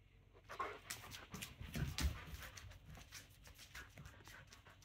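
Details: Hungry German Shepherd pestering for its dinner at home: quick, irregular huffing pants with a brief thin whine early on, plus low thumps and a person talking to it.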